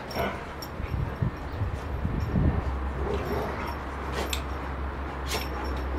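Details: Rottweiler during rough play, giving low, rough growling bursts, strongest around the middle, over a steady low rumble of background noise with a few sharp clicks.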